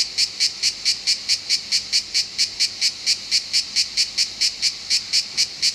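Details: Loud cicada song recorded in Southern France, a harsh buzzing pulse repeated steadily about three to four times a second, each burst strong and evenly spaced.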